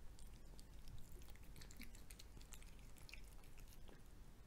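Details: Domestic cat chewing fried egg at close range, giving rapid moist smacking and crunchy bite clicks that come in uneven bursts over a low, quiet room hum.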